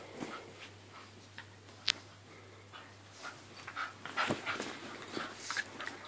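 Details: Staffordshire Bull Terrier and Jack Russell Terrier playing together indoors in a small room: short high whimpering squeaks and huffs, bunched toward the end, between scuffling, sharp clicks and panting breaths.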